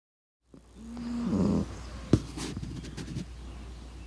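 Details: Sleeping pug snoring: one drawn-out nasal snore with a steady low hum, lasting under a second, then soft breathing and a few small clicks and rustles in a quiet room.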